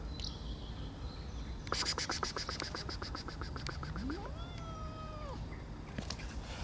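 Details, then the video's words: Angry tortoiseshell cat giving one drawn-out meow that rises, holds level, then drops away, preceded by a run of rapid clicking taps. "Tortie cat is angry"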